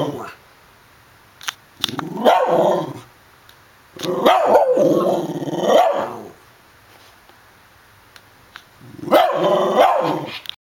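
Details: A dog giving drawn-out, tonal, yelping barks in three bursts separated by long silences, each burst holding several rising and falling cries.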